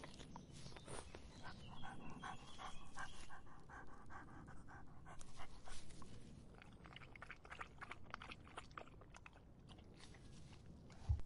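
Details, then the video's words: In the summer heat, a dog laps water. Quick wet tongue strokes come in bursts, denser early and thinning later, with a steady low rumble beneath and a sharp knock at the very end. "더운 여름 강아지가 목 축일 때 나는 소리 The sound of dogs on their throats in the hot summer"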